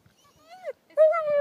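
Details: German Shepherd named Bella throwing a fit when told it is time to go: two tonal, drawn-out whines, the first arching and falling, the second louder and held steady, with a person's voice urging her to leave.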